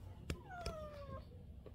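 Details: Stray cat meowing while coming to eat, one of two black brothers born in 2023, being coaxed indoors out of the cold; one drawn-out meow falling gradually in pitch, with a woman's voice and a couple of soft knocks.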